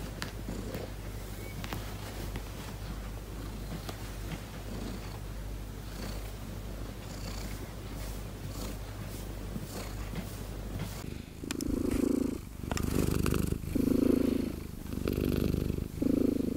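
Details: Petted indoor cat purring, a friendly talkative foster cat; low steady purr for most of the stretch, then from about eleven seconds several louder rhythmic breathy bursts repeat roughly once a second.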